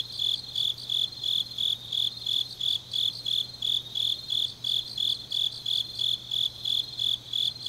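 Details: High-pitched chirping of grass insects late on an autumn night in Changnyeong, Korea, regular bursts around three per second with a second, steadier singer trilling behind and a soft low hum.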